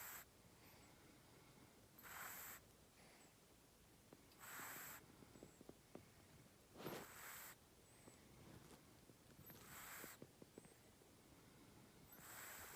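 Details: Sleeping-breath snores from a cat: five hissy exhalations spaced around two and a half seconds apart, with faint tiny clicks between them.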